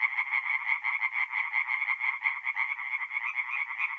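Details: Night chorus of singing tree frogs in a forest pond, north-east Italy, mid-April: rapid raspy croaks repeated about several times a second, several frogs overlapping in a steady pulsing buzz.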